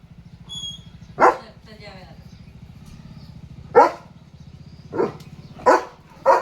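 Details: German Shepherd Leo barks at a dog and a cow outside the gate in the morning, giving five scattered, forceful barks separated by pauses of one to two seconds, against a low droning background.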